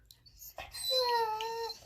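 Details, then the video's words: Five-month-old female Rottweiler puppy throwing a temper tantrum, angry at her owner for painting a puppy statue: after a few soft noises, one sustained, slightly rising, nasal whining moan lasting about a second, holding steady before fading. "Rottweiler Puppy Temper Tantrum!!!"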